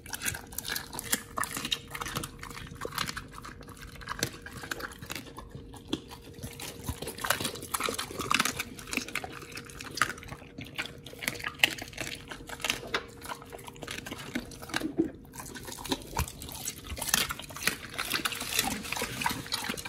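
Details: Pit bulls fed raw, eating whole raw quails with giant sea bass skin: continuous wet, smacking chews and crackling bites for the whole stretch, with a low hum in a small room.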